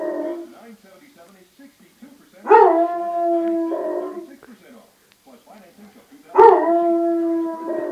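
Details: Basset Hound howling while he thought he was home alone: soft whines, then two long, level, drawn-out howls several seconds apart, each starting with a sharp onset and sliding down at the end.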